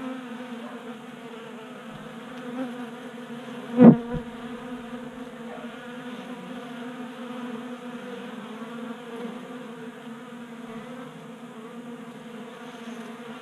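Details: Several honey bees feasting at a 3D printed feeder inside a Colorado garage in January, active in unseasonal warmth; even humming drone of wings, with one sharp knock near four seconds.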